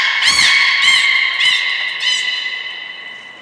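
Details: In a Nagoya aquarium pool, 14 March 2021, belugas Hodoi, Taanya and Mirai training: a continuous harmonic tone overlaid by four rapid pulsed bursts about every half second, fading toward the end.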